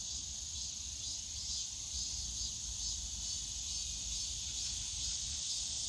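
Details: Summer cicada chorus in the Yongsan Family Park bamboo grove, an unbroken shrill hiss-like buzz that pulses gently and evenly, over a soft low hum of distant park noise.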